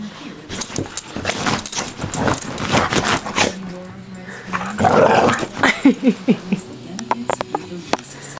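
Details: Pet dog reacting to the smell of a cream used to soothe sore muscles, which it dislikes, indoors: a run of short, high, wavering whines and whimpers midway, with a low growly undertone. A person talks throughout.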